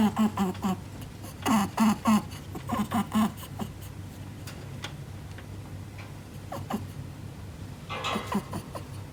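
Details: Indoor nose snorting from Ribbon, a female Netherland Dwarf pet rabbit, in a territorial mood: two clusters of short, low, nasal grunting puffs over the first three seconds, then quiet room tone with a few faint clicks and a rustle.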